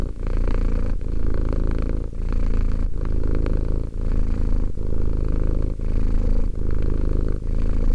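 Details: Close, loud purring of a two-year-old cat: low throaty vibration in regular breathing cycles, a brief gap near every second, otherwise unbroken and free of background noise.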